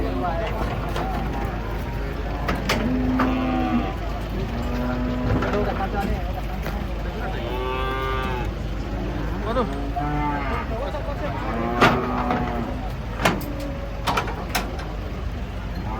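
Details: Giant cattle, said to be fierce, being unloaded from a truck in Indonesia. Repeated low, drawn-out moos follow one another through most of the clip, some rising higher and strained, over a steady low engine rumble, with occasional sharp knocks and bangs.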